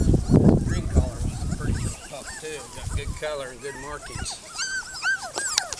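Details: Puppies playing in a yard: after a burst of voices and scuffling, rising and falling squeaky whines and short yelps follow one another quickly.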